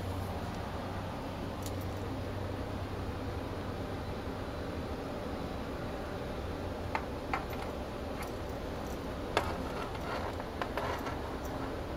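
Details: A quiet indoor room hum and hiss carries on steadily, broken only by occasional faint ticks and light knocks, with no animal voices.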